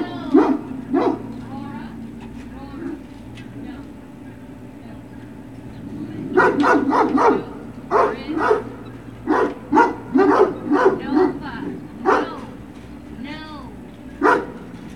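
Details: Great Dane puppies at Puppy Hill, recorded 21 March 2019, giving a run of short, sharp barks and yips in quick irregular bursts after a quieter opening with a few isolated barks and a low background hum.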